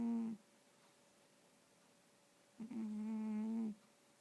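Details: Domestic cat asleep, snoring and dreaming indoors: two low hummed, droning tones, the first brief and the second lasting about a second, each steady in pitch, separated by a quiet pause.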